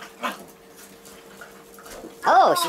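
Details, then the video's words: Two dogs fighting indoors, Molly the labradoodle and Casey, a 6-year-old rescued basset hound: quiet room with faint speech, then a loud half-second burst of harsh, arching, harmonic canine vocalizing at the end. "DOG FIGHT"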